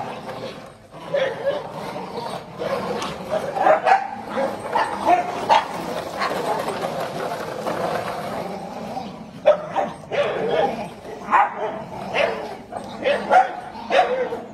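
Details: Dense, overlapping dog barks crowd the recording, short bursts tumbling close together with a brief gap before a second run of quicker yaps toward the end.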